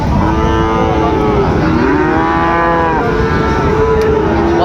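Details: Sahiwal bull calves at the Raniganj cattle market, Dinajpur, Bangladesh, 8 August 2024. Drawn-out, droning moos with rich harmonics carry through nearly the whole stretch, backed by constant crowd chatter and bargaining voices.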